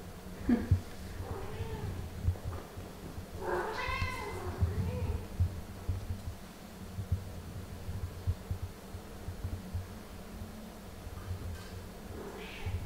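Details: Mother cat playing and talking with her kittens indoors; a wavering harmonic meow around four seconds, with fainter short mews near the start and end, over low room rumble.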